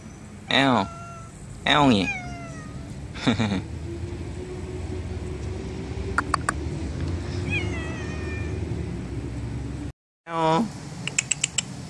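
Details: Stray library cats coming when called by name, repeated short wavering meows at the start and again near the end, light bird chirps in the middle and a person calling them to come eat.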